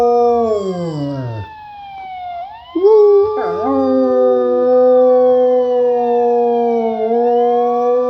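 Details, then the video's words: A Rottweiler named Cisco, prompted a little, joins in with a siren sound effect. His long, even, harmonic howls hold steady under the high, sweeping siren tones, with a short wavering break in the middle. "Rottie howling with siren sound effect"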